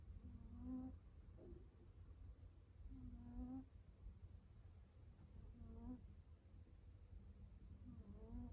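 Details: Domestic cat falling asleep and snoring loudly: low, buzzy, slightly rising snores with faint overtones, each under a second long, coming about every two and a half to three seconds over a steady low indoor hum.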